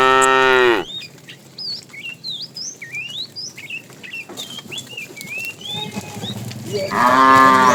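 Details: Fat tame bull calling to the female while the herd is driven in the afternoon: a moo ending at the start and another beginning near the end, with busy twittering birdsong filling the pause.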